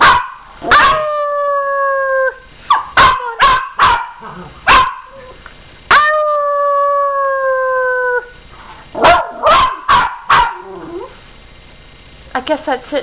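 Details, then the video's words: Domestic dogs howl alongside their owner: two long, level howls of about two seconds each, broken up by sharp barks, clicks and short yelping notes, ending in a quick run of yips. "Howling Dogs"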